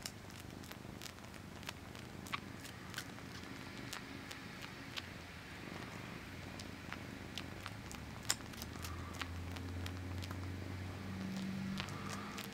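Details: Low, continuous purring from a male house cat sucking his own paw, with frequent soft sucking clicks and a faint tonal hum building toward the end, recorded close in a quiet room.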